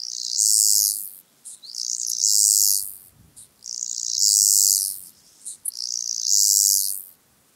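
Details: Black-spotted toothed grasshopper at Kyffhäuser, Germany, on 19 July 2018, picked up with a Pettersson D 100 ultrasound detector and noise-reduced. It gives very high, hissing buzzy phrases of about 1.2 seconds each, repeated roughly every two seconds, four in all.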